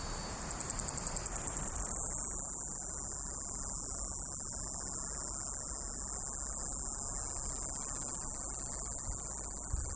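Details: Iwasaki's grass cicada, known in Miyako dialect as "jiijii-gaara" or "jiijii-gaasu", opening with a short run of rapid ticking pulses, then a steady, continuous, very high shrill buzz held without a break.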